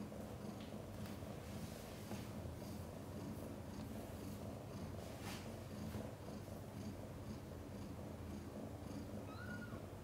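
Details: Mother cat Chan during labor, giving birth to five kittens, some born backwards: a low, steady rumbling purr fills the recording, with soft scratching clicks and one brief thin mew near the end.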